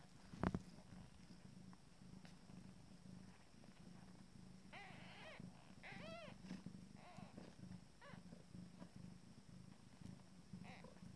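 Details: Abyssinian cat purring in a steady low continuous rumble as her first litter of two-day-old kittens feed, with a few short rising-and-falling kitten mews in the middle and a brief knock near the start.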